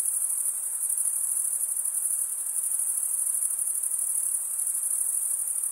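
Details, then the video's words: Crickets, the males chirping by wing stridulation, produce a sustained high, finely pulsed trill at constant volume, with no other animals or voices. "Most relaxing cricket sound for 8 hours"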